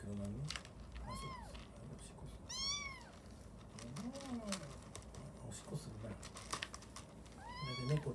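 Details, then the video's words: Young orphaned kitten meowing repeatedly while straining to pee for the first time: high, arched, harmonic-rich meows, with people talking in Japanese and occasional tapping sounds. "ลูกแมวฉี่ครั้งแรก เบ่งฉี่ไปร้องเหมียวไป"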